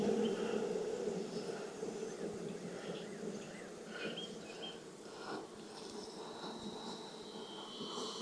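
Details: Continuous low buzzing drone from a honey bee colony opened for inspection in the Texas heat following weeks of rain, steady throughout, with scattered thin bird chirps and twitters overhead.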